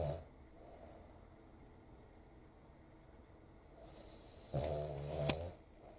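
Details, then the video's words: A sleeping Cavalier King Charles Spaniel snores noisily, likened to a bear, in a quiet room: soft, low breathing builds to one loud, rattling snort near the end. The dog sleeps with its eyes open. "キャバリア いびき うるさいけれど可愛い"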